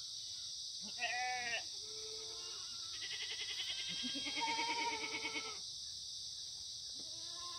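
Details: Korean black goats, free-ranging and raised without antibiotics at a farm on the slopes of Muchuksan, Yeocha-ri, Sangdong-myeon, Gimhae, South Gyeongsang, on a sunny Monday morning, 9 September 2019. Several wavering, quavering bleats overlap, with a steady high hiss behind.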